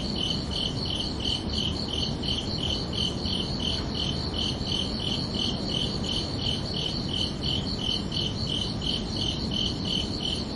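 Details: Summer-night crickets chirp in a regular high-pitched pulse, close to three chirps every second, steady throughout against a low, noisy background.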